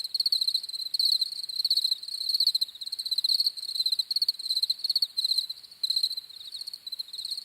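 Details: Shrill cricket chirps come in quick clustered bursts, a bright high trill repeated roughly twice a second, overlapping callers forming a steady insect chorus.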